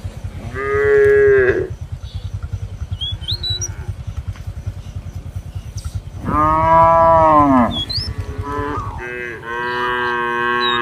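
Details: Cows roaming a field in a village call to companions to return to the barn. Two long, loud, rich moos rise then fall, one after another, and a shorter third follows. A steady low throb runs underneath, with a few faint chirps.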